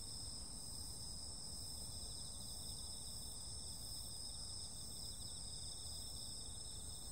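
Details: Insects heard on a summer night in a dense continuous chorus: layered shrill trills holding steady throughout, one finely pulsed, set against a soft low rumble.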